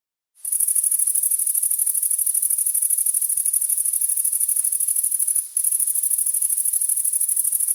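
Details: On a summer night in a rural area, a grasshopper chirps in a continuous, very high, rapidly pulsing buzz with one brief pause.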